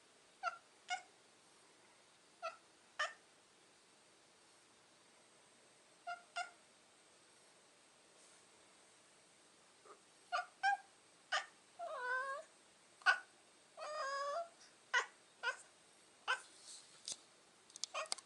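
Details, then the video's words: Domestic cat "talking": scattered brief chirps, then two wavering, trilled meows that warble up and down, followed by more quick chirping calls in a quiet indoor space. "Кот Босс говорит!"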